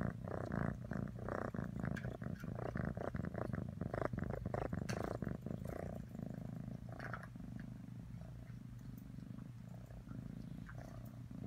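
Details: Pet cat Atreyu purring, a deep rapid vibration in dense pulses, louder and busier early on, then settling into a softer even rumble.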